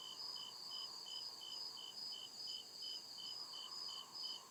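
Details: Crickets calling in the deep woods after dark, crisp high-pitched chirps pulsing evenly over a bright, constant insect buzz, with faint lower background hum.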